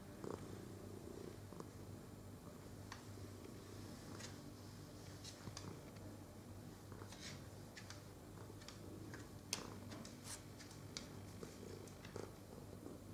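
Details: Domestic cat purring while being stroked, filmed 22 November 2018; a steady low rumbling purr runs throughout, overlaid by frequent soft clicks and brushing rustles from handling.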